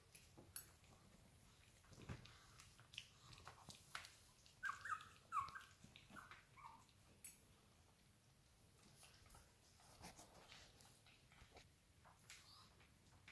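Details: Prague Ratter puppies, three females born 6 November 2018 at kennel Hradecká hvězda, indoors; a short run of high, thin whimpers and squeaks midway, each brief and wavering, amid soft rustling and handling noises.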